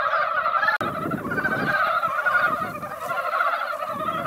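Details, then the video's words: Mountain frogs gathered in a quiet mountain pond after a light rain that barely wet the ground, calling in a dense, noisy chorus of overlapping rattling croaks that fills the pond, with a brief dropout early on. "산개구리 노래"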